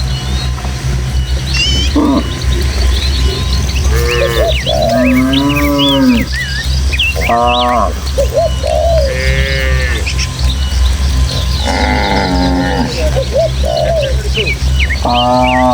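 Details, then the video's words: Tame village cattle in a herd of dozens, running through countryside hills and footpaths toward their pen on a breezy day: several drawn-out, arching mooing calls at different pitches, over constant birdsong chirps and a steady low hum. "Suara Sapi"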